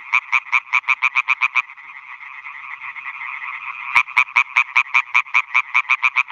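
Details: Night concert of male European tree frogs at freshly dug ponds on a meadow in Schleswig-Holstein, calling for females; fast pulsed croaking series, a pause filled by a dense distant chorus, then loud rapid croaks resume.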